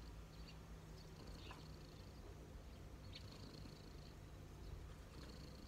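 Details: Relaxed cat lying on knees gives a soft, low purr with a steady hum underneath; faint high whines and occasional small clicks.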